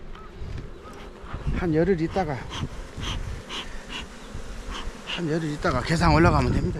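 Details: {'caption': 'Kept honey bees at a Jirisan apiary in Korea buzz close by, the hum swelling and wavering in pitch as individual bees fly past, over a continuous low drone, with faint knocks.'}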